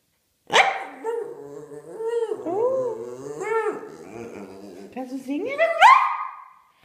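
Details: Pet dog 'singing' like an opera diva during a rehearsal: drawn-out, tonal, howl-like notes that rise and fall in smooth arcs. A final note sweeps upward and is held steady.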